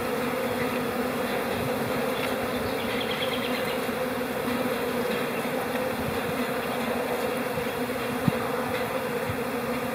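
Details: April honey bee colony, calm in spring, giving a smooth continuous droning buzz with even low and overtone bands, a brief faint trill of higher notes, and one short click late on.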